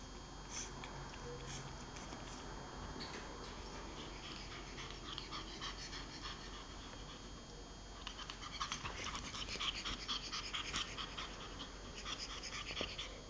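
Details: Giulia the pug plays with a toy pig, giving quiet snuffling and panting breaths; around eight seconds the noise grows busier, with bright bursts and brief squeaky tones over a steady background hiss.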